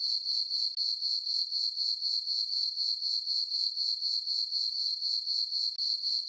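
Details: Crickets in a moonlit summer meadow on a farm at night: a continuous thin, high chirping in quick even pulses, about four per second, briefly broken twice.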